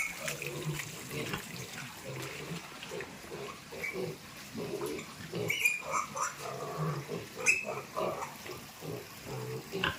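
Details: Piglets moved to fattening pens grunt low and repeatedly while running water and a few voices sound in the background.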